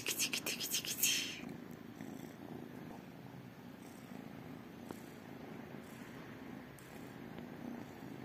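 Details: Purring from tiny kittens, two calicos and a tabby, waiting daily for love and food. A short burst of loud rustling and scratching opens, then a soft, continuous, low buzzing rumble carries on evenly.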